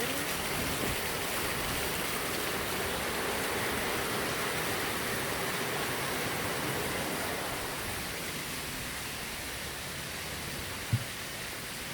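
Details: Steady rushing of rain or flowing water fills the recording outdoors, with a single faint knock near the end and no animal voice.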